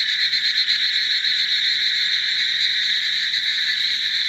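A dense frog chorus, a steady wall of high, rapid trilling calls from countless callers.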